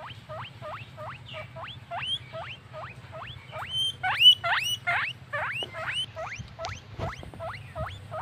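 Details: Happy guinea pig, a little furry pet, wheeking: rapid rising squeals sweeping upward, repeated about twice a second, with a second overlapping squeaker joining midway and a low hum underneath.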